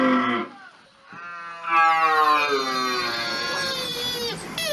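A deer gives a brief, low call, then a long, drawn-out, rich-toned bellow.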